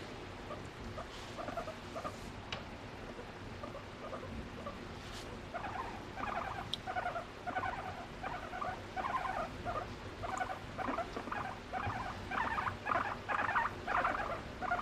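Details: Pet guinea pig, a female, being affectionate with her owner. Quiet at first, then a run of short, rapid, buzzy pulsed calls repeated in quick bursts, growing louder toward the end, with faint rustling.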